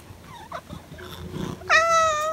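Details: Six-year-old pet cat being given soft treats indoors; after soft murmuring and a person's voice, one loud, steady, tonal meow begins partway through and is held strongly to the end.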